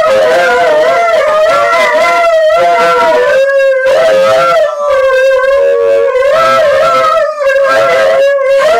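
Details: A seven-month-old Alaskan Malamute and an eight-year-old Husky, Chow, Wolf and Shepherd mix howl together in long, wavering tones that rise and fall, talking back and forth.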